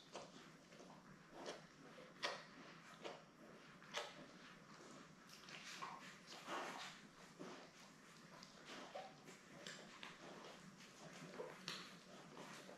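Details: Newborn Labrador Retriever litter of seven, born May 24, 2021, beside mother Belle on a live puppy cam: scattered soft squeaks and short whimpering cries amid rustling, shuffling and clicking sounds in a small room.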